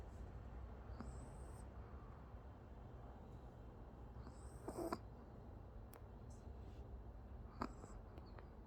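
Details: A Pomeranian called Oki dozing, its quiet snores marked by brief high wheezy whistles and a few soft clicks and snuffles amid a low constant hum.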